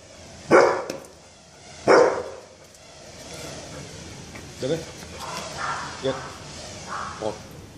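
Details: Lucky, a Golden Retriever being trained, gives two strong, abrupt barks about a second and a half apart, followed by a person talking with softer, fainter sounds in between.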